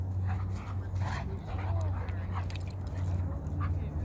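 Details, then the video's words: A Briard and a Maremma Sheepdog, two dogs playing and wrestling together, give low rumbling growls and short whimpering vocal bursts over steady low background noise, with some human voices. "Briard And His Good Friend The Maremma Sheepdog Playing"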